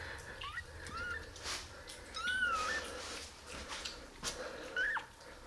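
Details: Newborn kittens, five of them at eleven days old as their eyes first open, give thin high mews rising and falling around the upper midrange, three short calls spread across the stretch amid faint indoor rustling.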